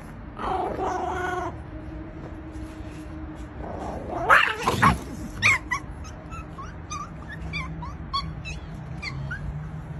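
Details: A Chihuahua gives a brief, high whine, followed by scuffling noises and a string of short, high squeaky chirps.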